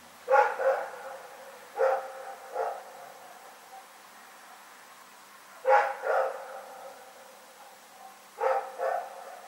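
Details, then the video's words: Dog barking in the night, recorded February 27, 2018: short gruff barks in pairs and triplets, bursts spaced a few seconds apart, with quiet pauses between. "Barking Nightmare"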